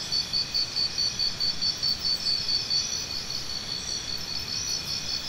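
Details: Single cricket chirping prominently: a clear train of about fourteen sharp high pulses in under three seconds, then quieter, all over a soft continuous insect hum.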